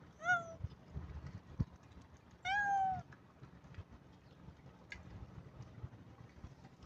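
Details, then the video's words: Cat or kitten giving two clear, high meows: a short one at the start, then a longer, slightly falling meow about two seconds later, over a low rumbling background hum and faint clicks. "Cat sounds meowing | kittens"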